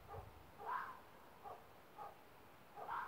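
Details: Roe deer barking in the evening near a campsite: faint, hoarse short barks repeated about every half second to second, distant, over a quiet background hiss.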